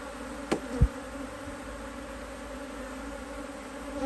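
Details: Busy honey bees in an Australian Hive IQ beehive, mid-autumn 2023, in fine weather while the hive is opened to add a box: a steady low-pitched drone with a faint higher band, plus two sharp knocks early on.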